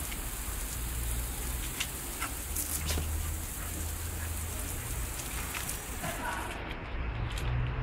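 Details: Steady hiss of spraying water outdoors, with a low rumble and faint distant voices, and no animal calls heard.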